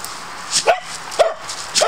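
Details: Dog named CJ on woodland patrol, barking while protecting boundaries: three short sharp barks about half a second apart, over a steady broadband background hiss.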